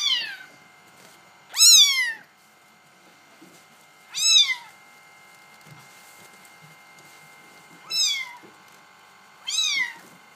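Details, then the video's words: Bengal kittens calling with loud, sharply arched meows, four cries spread over ten seconds with gaps of about two to three seconds, each mew bright and harmonic-rich against a quiet humming room. "Bengal kittens"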